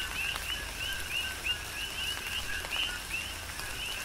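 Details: Coqui frogs calling in tropical rain on Hawaii's Big Island; clear upward-sweeping chirps repeat about three times per second at an uneven pace, with fainter frogs behind and soft rain hiss.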